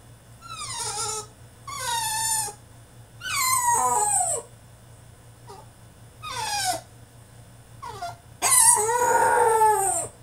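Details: ['French Bulldog in his cage throwing a tantrum, with six loud whining and howling cries, mostly falling in pitch, ending in a longer strained wail, with a low steady hum behind.']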